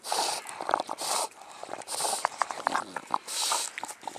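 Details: Dog of the mastiff family, with English bulldog, bull terrier and American bully named, breathing heavily: loud hissing breaths roughly once a second, with short clicks and snuffles between them.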